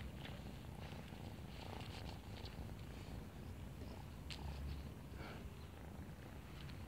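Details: Female kitten found in a neighborhood, playing with a person; a steady low rumbling purr runs throughout, with faint scratchy rustles and clicks above it.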